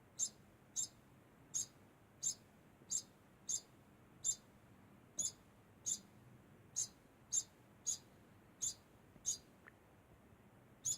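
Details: Degu calling constantly, a steady series of short high chirps about every half to one second, around seventeen in all, with little else heard.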